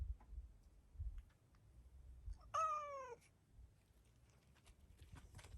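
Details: Stray black-and-white hachiware cat Hacchan, surprised at being petted, calls at the camera with a single clear meow that rises briefly then slides downward, set against low rumbling handling noise and light rustles.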